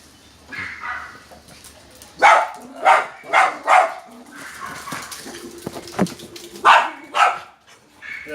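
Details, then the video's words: Dog barking very loudly, said to be afraid of another dog: short bursts of loud, harsh barks, a pair near two seconds then a quick run of three, more barks later, with a low murmur between. "Dog barking very loudly afraid other Dog"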